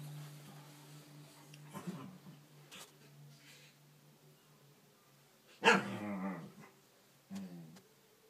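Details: Two pet corgis play fighting indoors while lying on their backs: a low steady hum underneath, soft grumbles, then one sudden loud growling bark that trails off, followed by a shorter grumbling growl.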